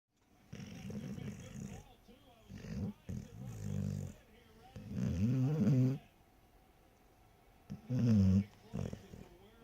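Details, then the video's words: Sleeping short-haired pointer dog snoring, with rough, low rasping breaths in bursts of about one to two seconds, some with a fluttering quality, separated by quieter pauses. "the short haired pointer snoring like a champ"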